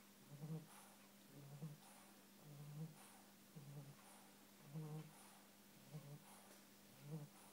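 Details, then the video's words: Pet bulldog asleep, snoring in low rumbling breaths about once a second, each short grunt followed by a fainter wheezy exhale, with a steady background hum. "Snoring bulldog"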